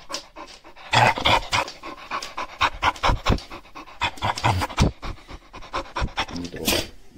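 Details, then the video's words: Shar Pei dog, recorded in 2021 while growling, sneezing and rummaging through pockets; rapid rhythmic breathy panting and snuffling pulses run throughout, several per second, with a louder hiss near the end. "Шар-Пей. Рычу, чихаю и по карманам шарю"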